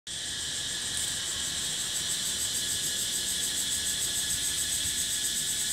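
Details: Cicada song recorded in natural surroundings in Thailand: a steady, dense, high-pitched buzzing drone with a faint rapid pulsing, unbroken throughout, over low background noise.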